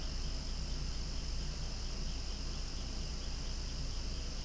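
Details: Noisy outdoor cicada chorus by swaying flowers: a continuous bright, high buzz without pauses, over a dull low rumble.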